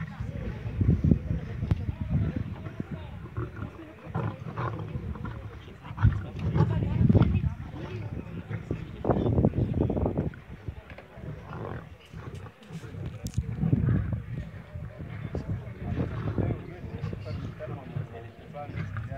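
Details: Wild lions feasting on a kill in the Serengeti, Tanzania, in September 2015, seen on safari; deep, rumbling growls come in repeated low bursts, mixed with people talking.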